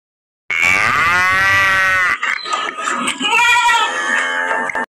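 A cow gives a drawn-out, steady moo, then a second wavering call.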